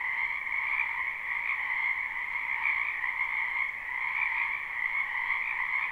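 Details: Croaking frogs filling a spring wetland behind a home, recorded live without looping: a steady, buzzing chorus of many overlapping voices in two bright pitch bands, with a brief slight dip in loudness midway.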